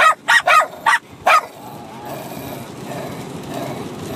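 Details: A 6-month-old Bichon Frise puppy and an adult dog barking at each other during rough play-fighting; five sharp high barks in quick bursts during the first second and a half, then low rustling and quiet background.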